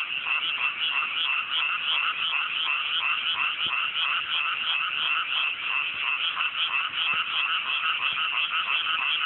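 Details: Night chorus of frogs in cool mountain rice fields, Japan, after rice planting on a clear night; steady dense wall of overlapping rhythmic croaking, fast pulsed notes throughout, nothing else audible.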